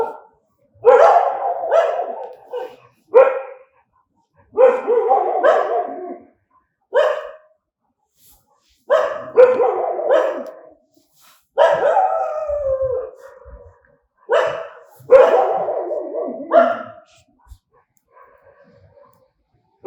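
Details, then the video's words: Angry dogs barking, filmed at night: bursts of loud, harsh barks in clusters, several barks per burst with short silent gaps, some barks ending in a falling whine, quiet yips near the end. "ANGRY DOGS BARKING"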